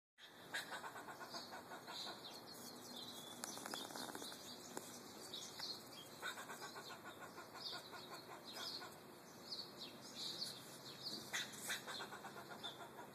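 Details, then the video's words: Squirrel calling outside an apartment on 13 March 2012: bursts of rapid, harsh clicking pulses, repeated in trains through the recording, with high chirping birds scattered over a steady background hum. "noisy squirrel"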